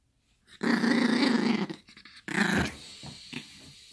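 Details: Yorkshire Terrier puppy growling while playing with a toy indoors: a long rough low growl lasting about a second, then a short pause and a second growl that trails into fainter sounds.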